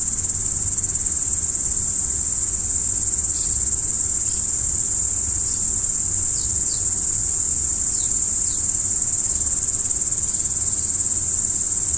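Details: Night chorus of crickets: a shrill, unbroken high trill throbbing about three times per second, dotted with brief higher downward-sliding chirps midway, over a faint low hum.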